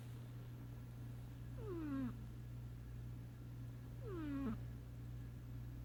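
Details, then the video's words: Two falling, whistle-like snores from Sasha the sleeping cat, about two and a half seconds apart, over a steady low background hum. "Sasha The Snoring Kitty"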